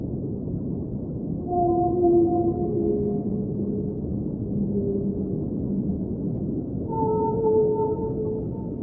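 Whale song: long, moaning tonal notes that bend gently up and down over a steady underwater rumble.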